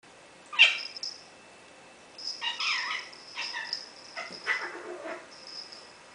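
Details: Squeaky, a female pet cat, hisses in anger at her own tail, a thing she often does: a sharp breathy burst, then a run of shorter hissing spurts spread over about five seconds, in a quiet room.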